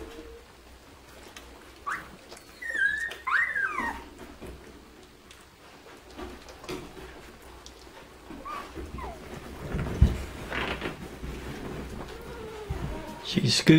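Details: Irish Setter puppies, nine days old, feeding while their mother comes in to check on them, October 2016; a few brief high squeaks early on, then shuffling, bumps and handling noise.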